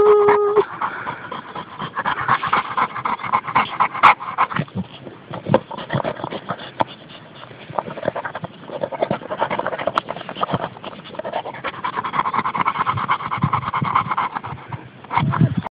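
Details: A French mastiff (Dogue de Bordeaux) lies in the sun, breathing in uneven bursts of breathy huffs with short pauses, interrupted near the middle by quieter stretches. A few brief clicks and thumps are heard.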